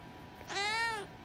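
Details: Domestic cat indoors giving one clear, drawn-out meow lasting about half a second, rising slightly then falling, with strong tonal harmonics; quiet room background, and the owner speaks affectionately just afterwards.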